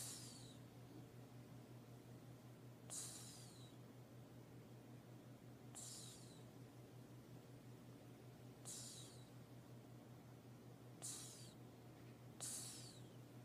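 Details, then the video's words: Sleeping cat snoring: soft, breathy, hissing bursts recur about every three seconds, each fading with a slight downward whistle, over a steady low electrical hum in a quiet room. "Do Cats Snore"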